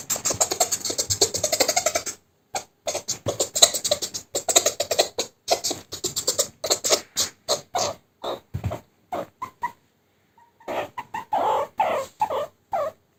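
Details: Meerkat kept as a pet reacting to being tickled during play, pushing the hand away: rapid bursts of short clicking, chattering calls, then a brief pause followed by buzzy squeaks.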